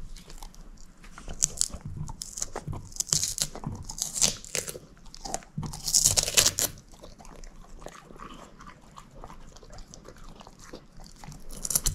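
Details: Bone-chewing by Moose, a female shepherd mix: bright, gritty crunches and crackling bites come roughly two or three per second, loudest near the middle, then softer steady gnawing.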